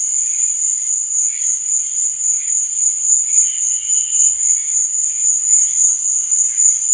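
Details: Night-time cricket chorus, a shrill unbroken trill ringing evenly throughout, overlaid by faint, wavering lower chirps that come and go.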